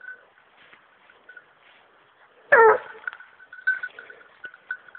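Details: Young female hunting dog on a wild boar hunt lets out one sharp, harsh bark halfway through, followed by scattered clicks and a faint steady high-pitched tone in the background.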